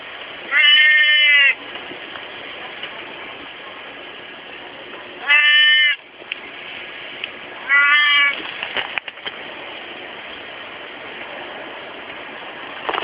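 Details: Daytime recording of a domestic cat named Kon-chan giving three loud, drawn-out meows, each about a second long with rich stacked harmonics, spaced several seconds apart over a steady background hiss.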